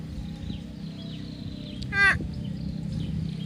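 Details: Water buffalo from a grazing herd gives a single brief, harsh 'uwwek' with a falling tone midway, while faint bird chirps and low ambient rumble continue throughout.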